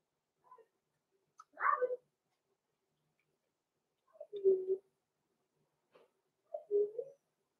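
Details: Six-week-old blenheim Cavalier King Charles Spaniel puppies, Roman and Blue, born November 14, 2022, in an indoor puppy pen; three short, high yelping cries spaced a couple of seconds apart with quiet pauses between.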